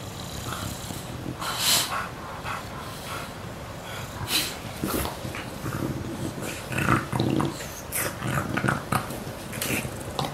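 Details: Two pet English Bulldogs, WanWan aged one year 89 days and Fe aged one year five days, recorded 19 September 2015; rough growling and snorting breaths come in uneven bursts, louder near two, four and seven seconds.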